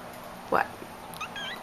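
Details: Persian kitten rolling around in bed indoors gives one short rising meow lasting under a second. Faint chirps follow, with a person talking just before and after.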